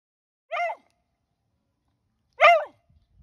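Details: Beagle barking on command: two sharp, bright barks about two seconds apart, each short and harmonic-rich, with silence between them.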